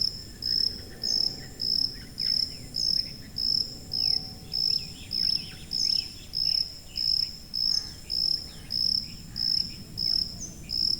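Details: High-frequency cricket recording used for tinnitus masking and sleep: a steady run of sharp, shrill chirps, roughly eighteen evenly spaced pulses, with quieter distant insect calls and a low background hum.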